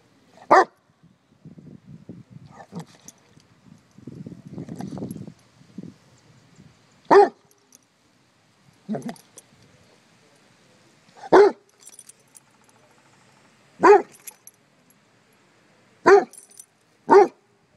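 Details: Basset Hounds barking at a bumble bee: single loud, deep barks spaced every few seconds, with quieter snuffling and low grumbling sounds between them.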